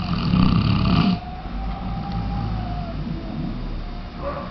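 A Weimaraner snores with a low, rumbling, rasping breath that swells and fades.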